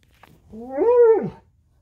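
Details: An unneutered male Alaskan Malamute, playing in bed in the morning, gives a brief, arching howl that rises, holds, then falls away.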